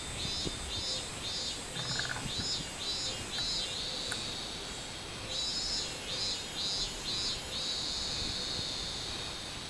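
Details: Robust cicada song recorded 24 July 2016, with rhythmic buzzy pulses about twice a second that merge into a sustained drone, break off, then resume pulsing before settling into a steady buzz, over a constant high-pitched insect hum.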